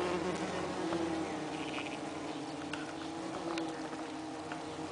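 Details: Worker Saxon wasps (Dolichovespula saxonica) at a nest in a nest box, 30 June 2010, heat having led them to perforate the envelope for cooling; constant layered buzz with short higher wingbeat tones and soft ticks.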